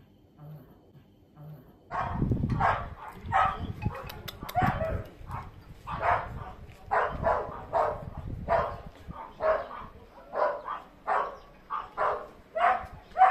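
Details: Pet Chihuahua kept alongside a second dog, giving a quiet stretch and then a run of short, sharp barks repeated about once a second, loud and closely recorded, with some rustling behind them.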